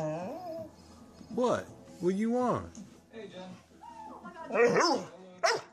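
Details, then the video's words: Young Great Dane seeking attention, giving short rising-and-falling whines and yelps in separate bursts, some drawn into wavering moans, with soft background music and faint human voices between calls. "Great Dane Wants Attention Compilation"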